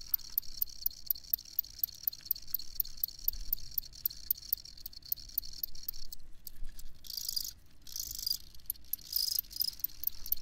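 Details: Crickets chirping with sharp high ticks repeated at an even, quick pace over a steady shrill buzz, later joined by louder pulsed chirp bursts.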